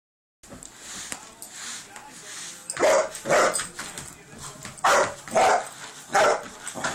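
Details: Poncho, a 3-month-old Irish Wolfhound puppy, barks at a broom or vacuum cleaner; after a quieter start, loud hoarse barks come in pairs and triplets, with household noise between them.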